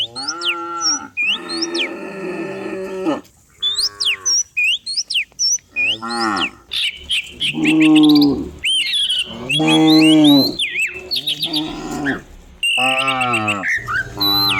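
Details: Morning herd of dozens of cattle running down a rural hillside; a rapid series of overlapping moos, some short and some long and wavering, mixed with frequent bird chirps and whistles.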